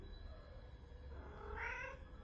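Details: Charlie Chaplin, a domestic cat, replies in its own cat language to its owner. A short, bright meow sounds near the end, under constant low background hum.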